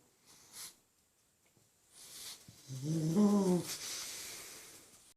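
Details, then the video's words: Black pug fast asleep beside a second pug, snoring loudly indoors: a rough, low, droning snore lasting about a second, with soft rustling before and breathy noise after. "Pug snoring really loudly"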